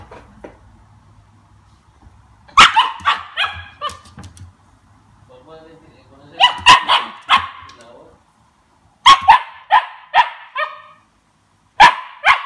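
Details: A 2-month-old Siberian Husky puppy tasting lemon for the first time gives bursts of short, harsh yips and barks, with a person's voice in between.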